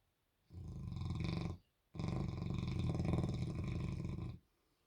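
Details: Albert, a Bernese Mountain Dog, sleeping and dreaming with his tongue out, snoring very loud: two long rasping, low rumbling snores, the second longer, with a brief pause between.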